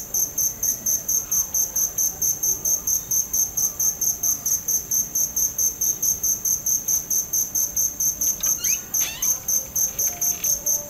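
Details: Sustained high cricket trill made of rapid even pulses, about four to five per second, with a brief rustling, scraping noise late in the recording.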